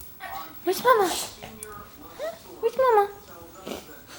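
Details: Pet dog Baxter, called Bubbie, crying because he knows his owner has come home: two bursts of high, tonal whines that rise and fall, each about half a second long, with soft human voices between them.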